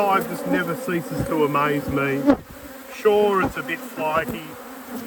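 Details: Honey bees at a beekeeper's apiary during a hive inspection at peak production: a steady low hive hum with bright wavering whines of bees flying close past, rising and falling several times.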